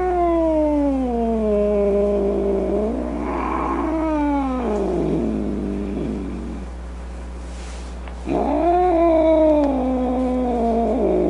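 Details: Angry, grumpy domestic cat giving drawn-out, moaning yowls that slide downward in pitch, two long wails running together, then a brief pause before a louder, rising-and-falling wail resumes near the end.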